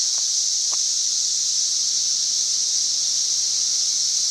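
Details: Cicadas in full chorus on May 31, 2024, reaching roughly 90 decibels, an intense steady high-pitched buzzing wall of sound, with two faint clicks early on.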